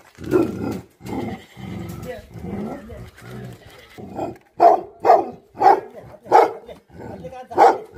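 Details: Angry Tibetan Mastiff dogs, known locally as Bhote Kukur, with voices at first, then deep barks in a steady series, each loud bark about half a second apart over the last few seconds.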